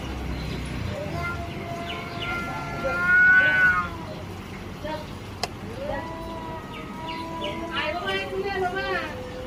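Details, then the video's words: Cat in a fight to take over an area, a drawn wavering yowl mid-clip followed by shorter rising wails, while a person speaks Bengali, trying to call the cat away from the fight. "This is a fight for control of the territory"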